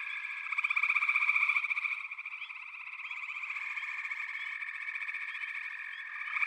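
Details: Massed frogs calling together: continuous buzzy, pulsing trills layered over one another, strongest during the first two seconds, then settling into an even, unbroken chorus.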